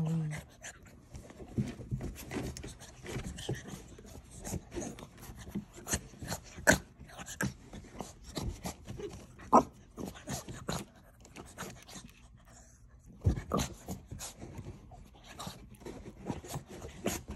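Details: Blue French Bulldog puppy giving irregular snuffling pants and short snorty bursts, scattered across the recording, some louder than others, indoors with brief human speech and rubbing noises in the background.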